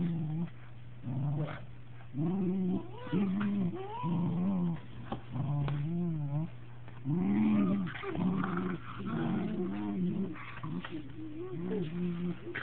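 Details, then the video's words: Two affectionate Cocker Spaniels, aged two years and eight months, kissing indoors with mouths touching; low, wavering moan-like grumbles come in short harmonic bursts about every second, some rising and falling, over a steady low hum. "Kissing Cocker Spaniels"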